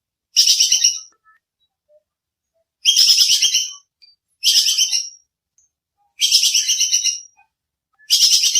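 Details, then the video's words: Sharp, clear call of a squirrel known locally as bajing kekes, played to train songbirds: five loud, buzzy, chattering bursts, each under a second, coming at uneven intervals through otherwise quiet background. "Suara bajing kekes buat masteran kicau || Suara jernih full nembak"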